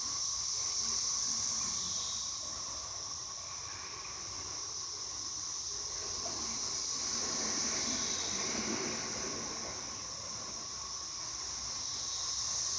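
Cicadas sing a steady, high-pitched hissing drone that swells and fades slightly.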